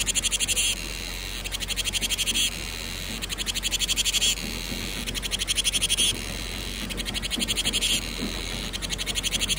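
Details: Ve sầu, the cicada singing in of summer: a loud, fast-pulsing metallic buzz runs almost continuously, cut by a few short breaks, with low background murmur.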